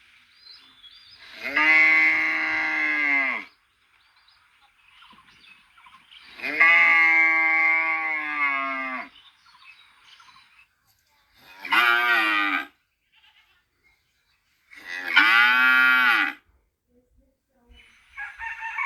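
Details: Cow mooing: four separate drawn-out moos, each rich and harmonic. The first two last about two seconds, the later two are shorter and brighter, with near silence between calls.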